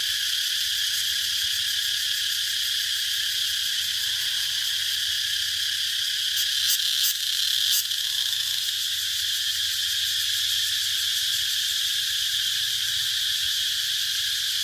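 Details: Cicada chorus as a constant shrill sizzle, steady in loudness. A few sharp clicks break through near the seventh second, with a faint low hum underneath.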